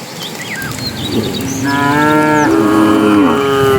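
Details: Cattle of a herd being driven into the pen as evening comes; one long harmonic moo rises in from about halfway, a second overlapping low moo follows, with faint bird chirps earlier.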